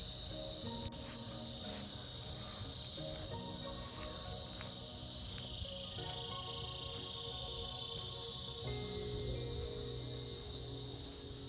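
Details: Cicadas in a winter chorus, a dense, continuous high-pitched buzzing that fills the air without a break, with faint low tonal sounds underneath.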